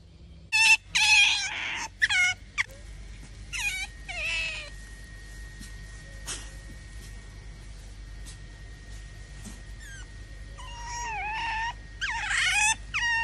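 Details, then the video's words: Titi, a tame otter hungry after three days without mullet, begs for food with loud, high-pitched, harmonic squeals in bursts of several calls, a cluster at the start, a couple midway and more near the end, separated by quieter gaps with a faint steady tone. "How Does Otter Titi Beg For Food When It's Hungry?"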